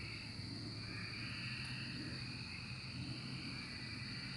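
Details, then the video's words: Cicadas calling together during their 2024 emergence, making a continuous shrill wall of sound in two bright bands, with a faint low rumble in the background. "Cicada Emergence 2024"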